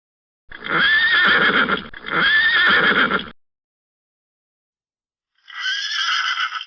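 A pony whinnies twice in long quavering bursts, then gives a shorter, higher whinny after a pause.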